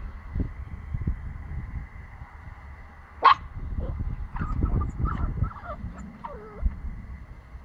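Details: Pomsky puppy, nine weeks old, gives one sharp high bark, then a run of thin whimpering yips that rise and fall. Low rumbling handling and wind noise continues underneath.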